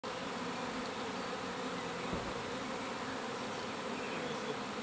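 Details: A swarm of honey bees on the move: a dense, continuous buzzing hum made of many overlapping wingbeats, steady in loudness throughout, filling low and middle pitches with no pauses.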